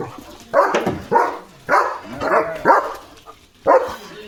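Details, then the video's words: Domestic German Shepherd barking on a summer morning as another dog walks past the gate; six loud, gruff barks spaced roughly every half second to second, separated by short quiet gaps. "German Shepherd Barking"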